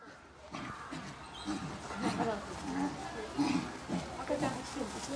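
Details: Common chimpanzees at Maruyama Zoo, filmed 22 August 2010, playing together and making cheerful sounds: a string of low, rough grunting calls at an irregular pace, with room noise behind.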